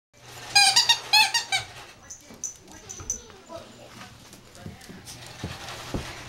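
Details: Yorkshire Terrier puppies at play indoors: a quick burst of about five high, squeaky yelps in the first second and a half, followed by faint scattered squeaks and soft rustling.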